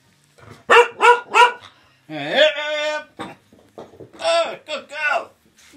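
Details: Female Welsh Springer Spaniel indoors on Christmas morning 2018, excited by a new squeaky toy: three quick sharp barks, a drawn-out rising whining yelp, then more excited barks.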